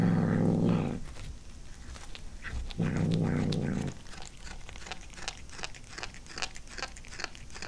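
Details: Pet cat indoors tasting its first corn, growling over the food. Two low rumbling growls, each about a second long, are separated by a brief pause. Rapid moist chewing and crunching clicks follow in a quiet room.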